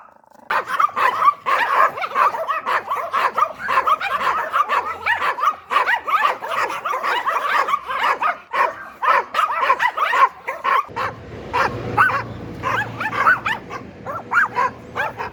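A Yorkshire Terrier barks rapidly and continuously in sharp, high-pitched yaps.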